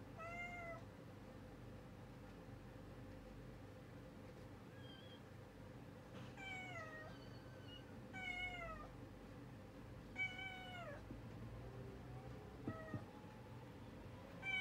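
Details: Cats and a kitten in their early-morning routine, calling with a run of meows that overlap in places, some higher and shorter, others longer with falling harmonics, over a constant low background hum.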